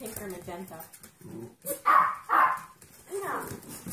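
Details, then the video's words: Puppy learning to bark: human voices talk at first, then two loud, sharp barks come close together, followed by a softer whining yelp. "Puppies Barking - Cute Puppies Barking Compilation"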